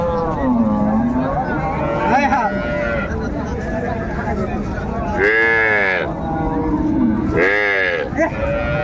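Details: At Raniganj haat cattle market in Dinajpur on 30 May 2024, cows brought with their calves give two loud, arching moos late on. Traders haggle and talk throughout, with brief music earlier.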